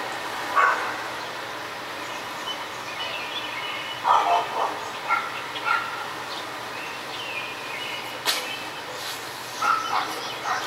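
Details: Neighbours' dogs barking in a residential neighbourhood, part of barking that went on for hours every day; a few short sharp barks at scattered moments against steady background hiss, one loud knock near the end.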